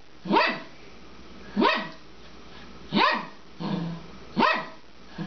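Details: A 12-year-old female Papillon barks while playing with her bone, throwing and chasing it: four sharp, evenly spaced barks about every 1.4 seconds, each a quick rising yap with a short lower sound between.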